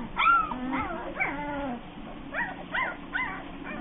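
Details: Bernese Mountain Dog puppies giving high, bending whines and yips, a few long drawn-out cries early, then short arched yelps in quick succession over a steady low hum.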